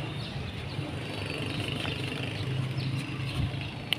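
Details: Steady low vehicle and engine rumble outdoors with faint distant voices, and no animal sound.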